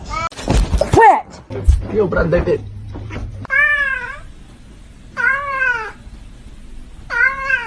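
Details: Domestic kitten giving three clear arched meows spaced about 1.5 seconds apart after a burst of human speech and clatter; each meow rises then falls, with rich harmonics, in a quiet indoor room.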